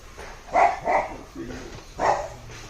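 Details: Cooper, a Labrador Retriever, in a training session after a two-month basic commands course; three short, sharp barks come at about half a second, one second and two seconds, with a man's voice giving commands in between.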